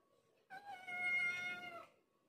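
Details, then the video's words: Former wild adult village cat turned docile and clingy, wrapping around legs like a snake, lets out a single drawn-out meow over a second long, steady then falling slightly at the end, against a low hum. "kucing kampung lucu//ciri semakin nurut&manja sampai melilit kaki seperti ular"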